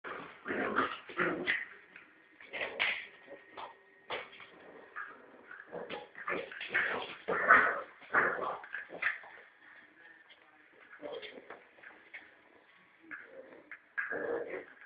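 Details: Norfolk terrier puppy, male, about three and a half months old, growling while tugging a ball on a rope as if attacking a rat; rough, gravelly bursts come in irregular runs with quiet gaps, recorded indoors.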